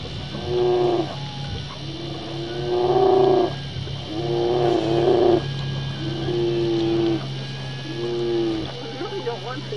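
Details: On the Katmai coast of Alaska, a mother brown bear attacks a young female that approached her older cub. Five harsh, harmonic roaring bawls, each near a second long and spaced about two seconds apart, with a constant low mechanical drone beneath.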